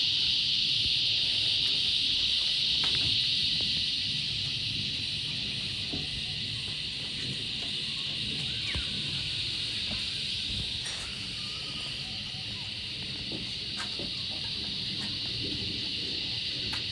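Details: A small Australian bush cicada in the bush, seen close up, gives a loud, steady, high-pitched buzzing drone that barely wavers.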